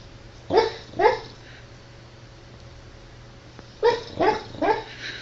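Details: Dog barking in two short sharp barks, a pause of nearly three seconds, then a quicker run of three barks over steady background hiss.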